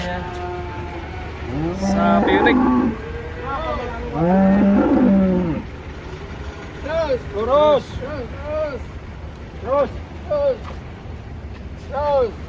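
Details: Huge cattle being unloaded from a truck, one trodden on by another: two deep sustained moos early on, then short arched vocal bursts repeating over a low rumbling background.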